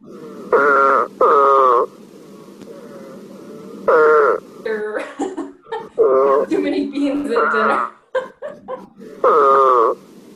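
Eastern Spadefoot giving short, nasal, groaning calls, like a grumbled 'man', repeated between stretches of talking.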